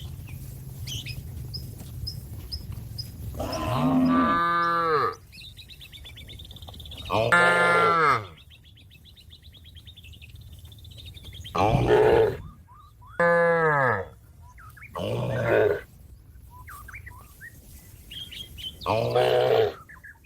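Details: Cattle lowing to call companions home to the pen: six loud moos across twenty seconds, each a second or so long, rising then dropping in pitch, with quiet bird chirps and whistles between them.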